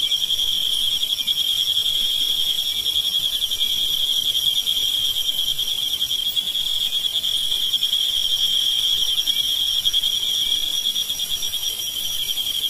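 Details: Crickets about 2 cm long, which hide alone in burrows by day and sing at night, give a continuous, steady high-pitched trill with no pauses, several bright tones layered over a faint background hiss.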